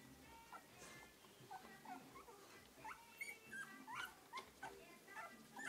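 Three-week-old English Cocker Spaniel puppies give high, squeaky whimpers and short yelps, overlapping in a busy chorus.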